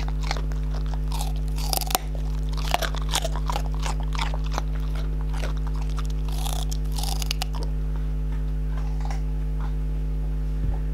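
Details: English Springer Spaniels Hadley and May eating indoors in a small room: dense crunching and biting bursts, sharp crackly clicks clustered through the first eight seconds, then sparser chews over a steady low electrical hum.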